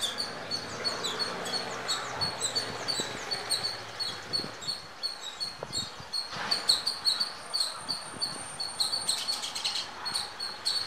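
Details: Indian squirrel filmed near a home on a Nikon D5300 with natural audio, giving sharp high squeaking chirps repeated rapidly, about three per second, over a soft background hiss with a few clicks.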